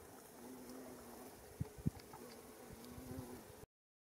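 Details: Female bumblebee, Bombus diversus diversus, taking off while visiting Japanese fairy bells flowers for nectar along a mountain path in Japan, mid-May 2018; a low, steady buzzing hum of wingbeats, broken by two soft thuds midway.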